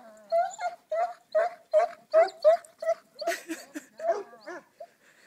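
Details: Sadie, a 10½-year-old Greater Swiss Mountain Dog, herding for the first time, gives a quick run of high, tonal yelps, about two or three a second, that loosen into rougher barks near the end.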